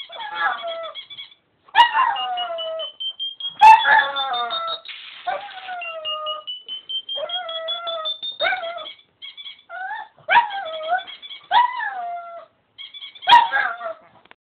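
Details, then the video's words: A pug singing: a run of short whining howls, each bending downward, broken by pauses, over a thin high tone that climbs slowly in the background. "the pug singing"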